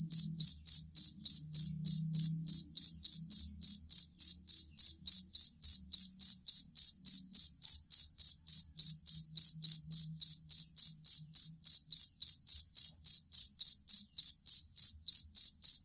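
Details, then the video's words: Cricket, a jangkrik kalung or fighting cricket, whose steady, long song serves as a master for songbirds: unbroken series of sharp high chirps, about three and a half per second, over faint low background hum. "Suara Jangkrik Master Burung"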